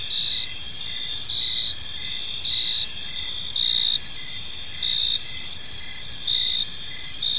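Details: Evening in a park with crickets calling, continuous high shrill trills swelling slightly in loudness every second or so, and a lower chirp ticking at a regular pace beneath, faint low-frequency background noise throughout.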